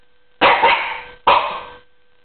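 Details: Eight-month-old male Norwich Terrier playfully chasing pedicure paws before a manicure, giving two sharp, harsh barks about a second apart while his owner encourages him to get the paper.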